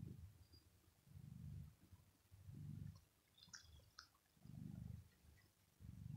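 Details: Male pet cat resting on a carpet on the floor on a very hot day, purring while being petted on the head; soft low rumbling purr in swelling bursts about every one and a half seconds, with faint high clicks.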